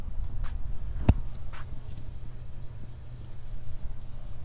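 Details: Deep continuous rumbling purr from a male cat stroked along his back, with one sharp tap near the start and faint rustling from the hand.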